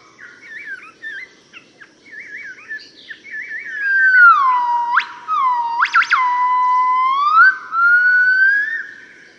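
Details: Morning song of a yellow-cheeked gibbon family in Cat Tien, Vietnam, March 2013: quick wavering whistled notes build into long swooping whistles with sharp steep upward sweeps, rising in loudness midway.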